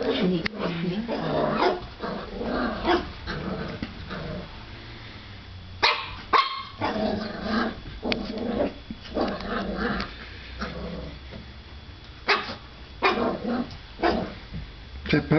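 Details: Puppy Lucy facing another puppy in the mirror, giving scattered high yaps and small growling barks mixed with a person talking to her gently.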